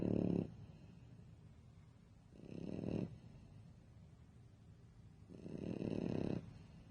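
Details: Pet French Bulldog snoring in its sleep, with loud, raspy, low snores lasting about half a second to a second, roughly every two and a half seconds, and softer breathing between them.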